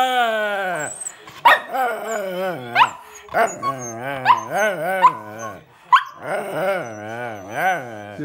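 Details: Domestic dog vocalizing back at its owner after a walk: a long run of yowling, singsong moans that bend up and down, broken by sharp yelps, with background music and a person talking.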